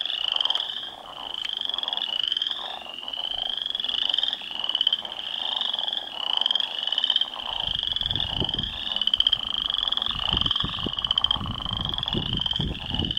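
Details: Northern leopard frogs fighting for territory in a pond produce continuous rasping, pulsed croaks from several overlapping callers, steady and grating, while heavy low splashing and thrashing in the water grows through the second half.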